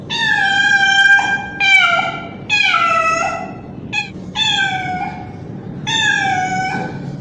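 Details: Young male street cat calling loudly for a female in heat, a run of long, drawn-out harmonic meows and yowls, some wavering and falling in pitch, a few short clipped cries between them.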